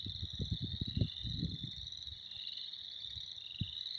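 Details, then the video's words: Spring chorus of many frogs: a dense, continuous high trilling drone with shifting pulses. Loud low rumbling thumps come in bursts through the first two seconds, with one more near the end. "Spring is here. Frogs are jerks."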